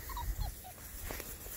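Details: Six-week-old Border Collie puppies seeing livestock for the first time, outdoors: a few short, thin, high whimpering squeaks in quick succession early on, then low rustling and handling noise.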